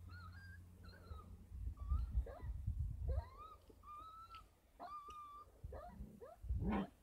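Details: Kangal puppies, 33 days old, at a Kangal dog farm, being supplemented with formula and goat milk; high whistled whines rising and flattening, several overlapping, with low rumbling handling noise beneath.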